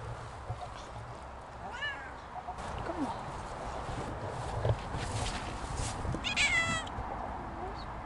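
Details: Siamese cats Otani and Yozora, off-leash on a sunny autumn meadow walk among big stones, produce a short faint meow near two seconds and a stronger harmonic meow near six seconds, amid rustling and low outdoor background noise.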